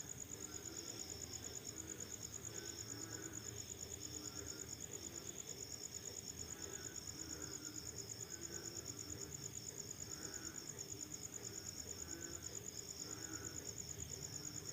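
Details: Night insect chorus after rainfall, crickets giving a continuous high shrill trill of rapid, even pulses over the whole stretch, backed by faint low hum and murmuring ambient noise.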